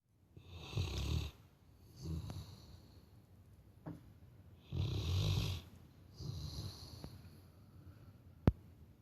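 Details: Sleeping Labrador Retriever snoring like a person: deep, rumbling breaths with a raspy hiss, four snores spaced about one to two seconds apart, quiet between them.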